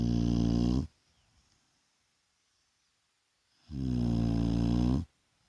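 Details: Vaya the Shar Pei resting in the daytime, snoring: two strong, deep, harmonic snores of about one second each, roughly three seconds apart, silence in between.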